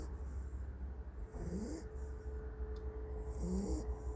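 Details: Countryside dog napping after a long spell of running and playing: two low, rasping snore breaths, one at mid-clip and one near the end, over a steady low hum.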